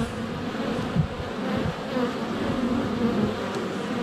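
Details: Honey bees in flight at a hive entrance on a sunny February day, filmed up close with a GoPro Hero 7 Black; a dense, steady low hum with shifting pitched drones as bees pass near, a few soft bumps.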